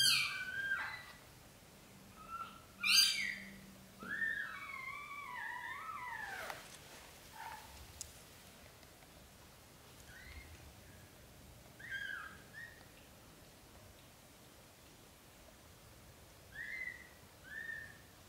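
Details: Indoors, a British Shorthair mother cat carries newborn kittens to a small nest; several strong, wavering high mews open the stretch, then fainter scattered mews recur every few seconds over low room hum.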